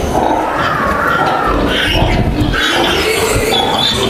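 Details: Three-breed hybrid piglets (Landrace, Yorkshire) kept 34 days with the sow in a pig barn, ready to be taken away; overlapping squeals and grunts rise and fall in a dense barn din, with steady background noise.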